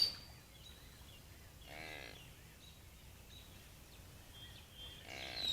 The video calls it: Deer making weird noises